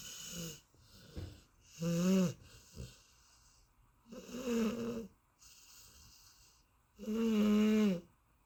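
A sleeping Golden Retriever snores in slow, rasping breaths, each drawn out for about a second.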